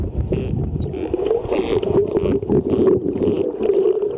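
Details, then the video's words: A wild dolphin swimming underwater off Mikurajima gives short, high, rising whistles, repeated about every half second, sounding as bubbles escape its blowhole. "野生のイルカ、ピーピー鳴き声 御蔵島ドルフィンスイム Dolphin Swim"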